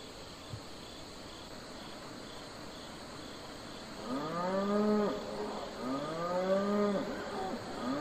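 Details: Cattle on a farm, domestic livestock herd, mooing: after about four seconds of faint background hiss, two long harmonic moos rise and fall, the second following the first at once.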